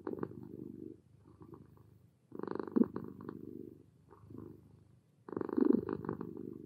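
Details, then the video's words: A relaxed kitten purring: rough, throbbing rumble in long breathy bursts, alternating louder and softer phases with each breath, about three cycles in under seven seconds, recorded close up in a quiet setting. "Sweet Cat Purrs Relaxed Kitten Purring"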